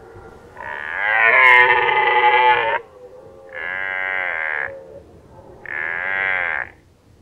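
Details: Red deer stag during the 2019 rut in Lower Oder Valley National Park, Germany, giving three loud harmonic roars, the first longest at about two seconds, the next two shorter, separated by brief pauses.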